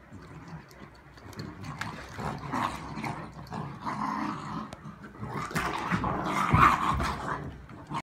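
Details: A Great Dane and a small Beagle in a tug of war, with rough, rasping growls rising and falling in intensity amid scuffling and shuffling noise, louder toward the end.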